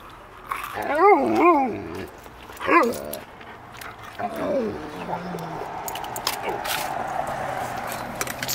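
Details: Expressive 13-year-old female Alaskan Malamute that wants ice cream gives wavering, whiny howl-like talking notes, two quick undulating ones, a short sharp one, then a softer trailing whine, while people talk nearby.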